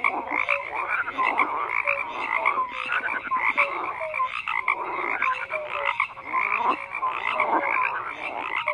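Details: Many frogs croaking together in a dense chorus, overlapping rasping croaks pulsing roughly every second, with short tonal notes sliding beneath the steady din.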